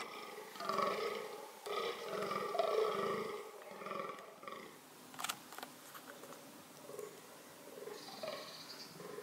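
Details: Fallow deer (Dama dama) shown for its reproductive strategies utters a run of raspy, throaty groans. They are loudest in the first half and fade to softer, scattered grunts with a few clicks.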